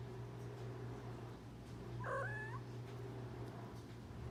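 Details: Domestic cat calling while killing and eating a moth indoors; one short, bright meow-like chirp with a rising then falling tone, over a steady low electrical hum.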